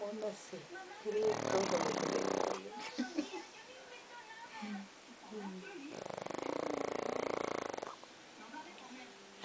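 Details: Pet dog asleep, snoring in two long raspy bursts of quick pulses separated by quieter breathing, while voices chat nearby in a small room.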